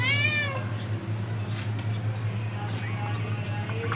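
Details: Domestic cat meowing as a tabby cat attacks a ginger cat: a single strained, harmonic-rich meow lasting about half a second at the start, then a steady low hum with faint rustling and scuffling.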